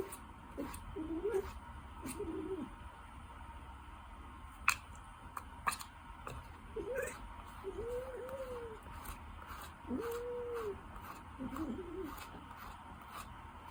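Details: Docile, dog-like Ragdoll cat giving about seven soft, short meows, each a gentle rising-then-falling arch, spaced irregularly over the clip, with a few sharp taps and clicks and a faint steady background hum.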